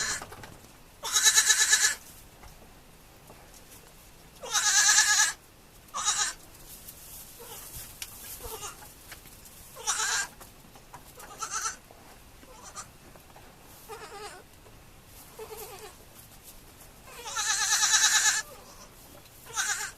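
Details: Young farm goats calling in a series of loud, wavering bleats. Some are long and full, others brief and softer, spread irregularly with quiet gaps between.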